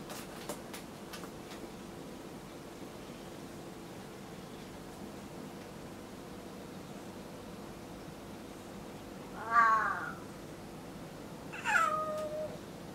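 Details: Domestic cats indoors at home around new furniture; after a quiet stretch of room hiss, two short harmonic meows sound a couple of seconds apart, the second ending in a drawn-out falling tail.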